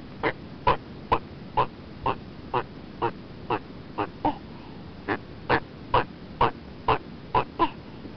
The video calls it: Red-footed tortoise sounds